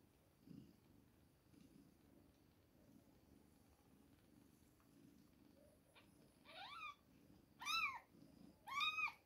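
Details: Two-week-old kittens at milk time give three high, clear mews in the last few seconds, each arching up and then falling. Soft low rustling sounds run quietly underneath.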